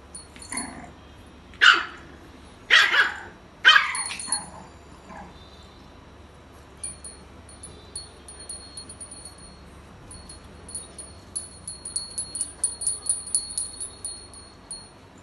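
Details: A 46-day-old white female French Bulldog puppy gives a few sharp, high yapping barks, followed by faint tinkling chimes.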